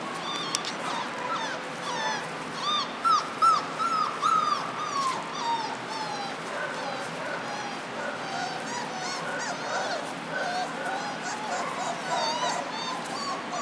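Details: German Shorthaired Pointer. A litter of young German Shorthaired Pointer puppies fills the air with thin, rising and falling whimpers and short yips. The squeaky cries overlap constantly, several pups calling at once in an uneven, restless chorus.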